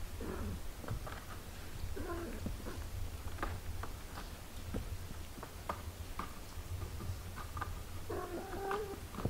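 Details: Mother cat with her eight-day-old kittens; faint, rough meows near the start and at two seconds, a clearer harmonic meow near the end, with scattered clicks and rustling between over a constant low hum.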